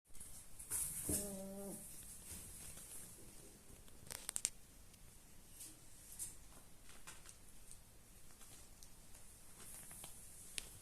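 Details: A 4-week-old Alaskan Malamute puppy from a litter of six (four males, two females) gives one brief, harmonic whine, followed by quiet scuffles, clicks and patter like small paws moving about indoors.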